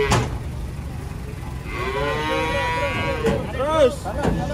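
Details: Cattle being unloaded from a truck, with a loud, sustained moo lasting about a second and a half, followed by shorter bent calls and thuds amid steady background rumble.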